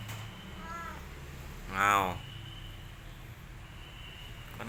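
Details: Pet orange village cat Boy in Indonesia gives a short faint meow followed by a louder, strained meow, then quiet background hum.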